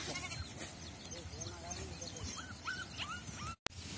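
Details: Sheep kept in traditional Indian shepherd farming, giving short, rising-then-falling bleats in quick succession over steady background murmur and voices, ending with a brief dropout.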